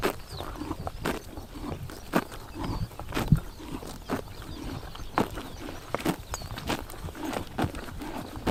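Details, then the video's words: Close, heavy crunching and tearing as horses eat grass on a summer morning in Tuv province, Mongolia, with occasional thudding steps among the bites. "Horses eating grass in summer morning / chomping noises"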